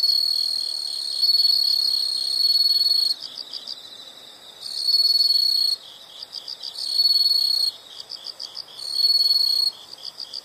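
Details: Insect sounds in nature: loud shrill trilling bursts of one to three seconds alternate with rapid soft chirp series, the pattern repeating several times over ten seconds.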